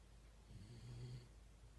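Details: Shiba Inu named Yun (遊雲) snoring loudly while asleep, recorded December 1, 2016: one low, rumbling snore swelling and fading over under a second, with a quiet steady hum in the room.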